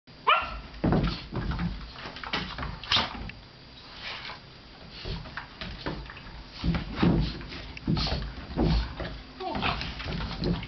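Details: Two Vizsla dogs playing, one using a chair to its advantage against its big sister; short, rough bark-like bursts and growly play noises come at irregular intervals, mixed with occasional human voices.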